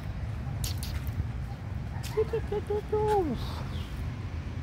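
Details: Abandoned puppy, hungry, asking for food: a quick run of three or four short pitched whimpers followed by a longer whine that slides downward, set against low background rumble and light knocking sounds.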